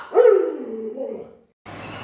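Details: Luoluo the Alaskan Malamute, whose owner lies sick in bed, gives a short wavering howl that rises sharply, dips and rises again before trailing away. A brief silence follows, then broadband rustling noise.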